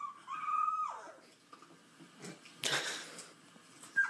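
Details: A female Alaskan Malamute, trying to howl along to videos of other malamutes, gives a brief, thin, steady high howl that breaks into a quick downward slide, then a rustling burst and a faint squeak in a quiet indoor room.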